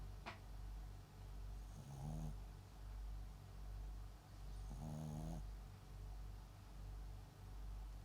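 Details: Papillon × Japanese Chin mix dog named MAX, sleeping at home and snoring: soft, low, rhythmic breaths roughly once a second, with two louder, wheezy, buzzing snorts near the second and fifth seconds.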